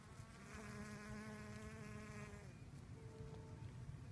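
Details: A honey bee pollinating sorghum: a steady, low wing buzz drones for two seconds, then returns briefly at a higher pitch.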